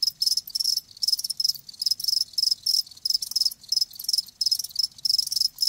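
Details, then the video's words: Live crickets calling loudly in bright, high, buzzy pulse trains, about three bursts per second at a somewhat uneven pace, clear and dominant over a faint low hum. "Live Crickets 60min "Natural Sound""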